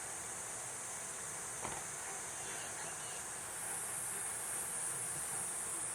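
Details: Platypleura kuroiwae cicada singing a steady, very high hissing buzz that grows slightly louder after the halfway point, over low background rumble and a brief knock.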